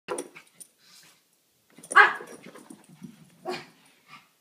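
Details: A Pekingese dog, running around excitedly after coming home from a walk, gives a few short, sharp barks separated by brief pauses.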